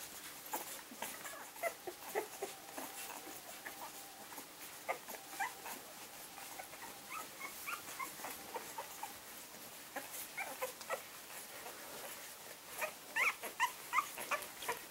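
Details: An 11-day-old litter of English springer spaniel puppies gives soft, high squeaks and whimpers in quick, uneven bursts.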